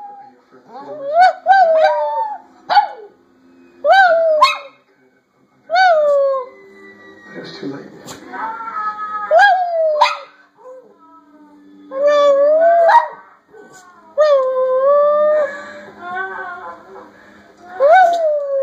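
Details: A Silky Terrier trades howls with a person in a back-and-forth 'conversation'. There are short rising-and-falling tonal howls and whines, several rapid yips, and a human voice answering with imitated howls between the dog's bursts.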